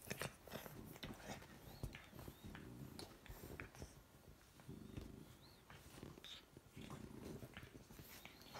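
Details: A chocolate French bulldog puppy and his lilac fawn sister play fighting on a couch give low rumbling growls broken by short high yips and scuffling thumps.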